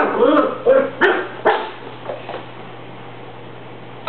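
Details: Cocker Spaniel puppy indoors barking at a broom during housework: a burst of short, sharp barks in the first second and a half, then softer yips, a final bark at the end, steady low electrical hum throughout.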